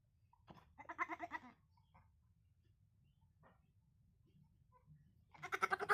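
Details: Baby goat bleating: two loud, wavering, nasal bleats, the first about a second long and the second starting near the end, with quiet pauses and faint low background rumble between them.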